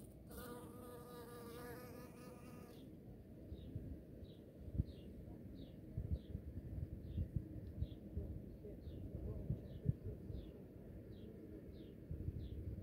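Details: Bees in spring: a loud close buzz with a steady tone and stacked overtones for the first three seconds, then a low continuous droning hum with short brighter pulses, plus faint bird chirps repeated about every second.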